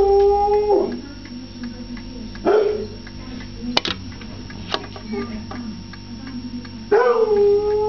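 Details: Foxhound; howl; asking for his food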